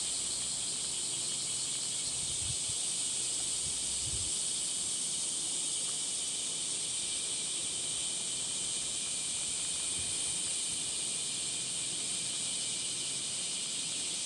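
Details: Summer cicada chorus at Gifu Prefectural Centennial Park, Japan, 23 July 2026, mid-morning at 37°C on a woodland walk: continuous hissing high-pitched drone without pause, with a few soft low thumps of footsteps underneath.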